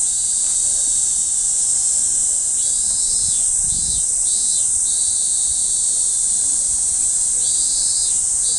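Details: A cicada sings a loud, steady, high-pitched buzz that runs unbroken from start to finish, recorded 1 July 2015.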